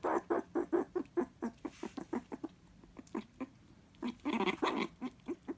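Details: Pet meerkat at home, thrilled by an animal jelly treat, utters a quick series of short, clipped calls, about two per second, pausing briefly, then a louder rougher burst; human laughter follows.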